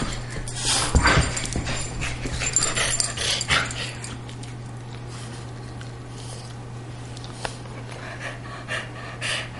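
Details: Greyhound and Boston terrier, two pet dogs, playing together as they do almost daily; scuffling bursts of breathy, rough play sounds cluster in the first few seconds, then quieten, over a steady low electrical hum.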